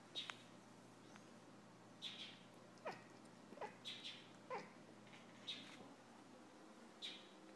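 A cat chatters at birds with short, clipped chirping bursts, about one every second, some high and squeaky, others dipping lower.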